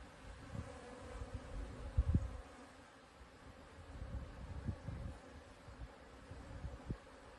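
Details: Buckfast honey bees (Apis mellifera) hum outside the hive on 30 January at 8°C, a low, even drone with louder buzzes as individuals fly close.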